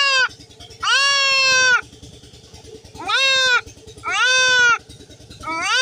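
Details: Young goat undergoing castration bleats repeatedly, long nasal cries near one second each with brief gaps, five calls in all, over a continuous low rhythmic mechanical pulsing.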